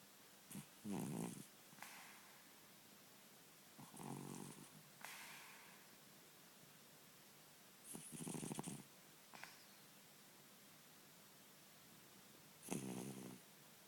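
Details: A 10-year-old cat sleeping and snoring, likened to a man; breathy snores in irregular bursts, some low and rasping, others hissy and higher, spaced several seconds apart over a quiet indoor background.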